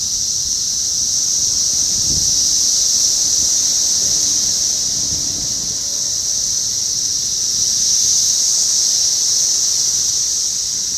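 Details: A dense chorus of 17-year periodical cicadas (Magicicada, Brood X) outside an apartment building in North Bethesda, Maryland, USA, on 9 June 2021 makes a steady, high, hissing buzz that never breaks.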